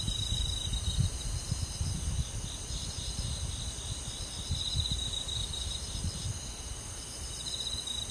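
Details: Crickets and other insects on a summer night in a rural forest, a steady shimmering chorus of high, pulsing trills held in two bands, with low rumbling bursts of wind or handling noise underneath.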